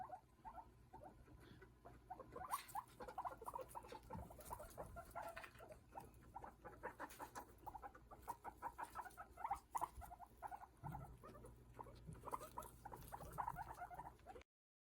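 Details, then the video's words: Guinea pigs talk to one another in soft, busy squeaks, chirrups and rumbling purrs. "hi guys today i'm going to show you moments of my guinea pigs talking to each other hope you like it"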